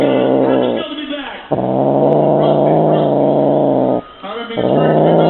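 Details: A male F6 Bengal cat growls while playing with his favourite feather wand toy, in long, low, rumbling stretches with a rough, harmonic-rich tone, broken by two brief pauses; some faint speech may be mixed in.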